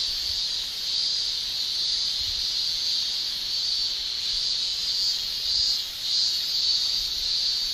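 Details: In Japan in summer, male cicadas shrill using tymbals: a constant high buzzing chorus, gently pulsing toward the end, with soft low thumps underneath.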